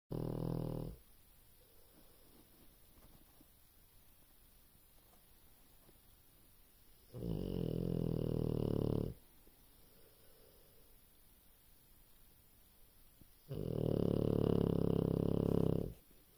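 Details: A sleeping dog snoring: three long, low, rasping snores, each lasting one to two seconds, come about six seconds apart, with quiet breathing in between.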